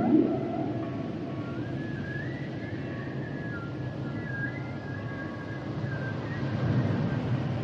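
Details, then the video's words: Humpback whale sounds, mostly faint high wavering whistles and thin tonal glides over a strong low rumble, with one brief louder note at the very start. "Sounds and Songs Of The Humpback Whales"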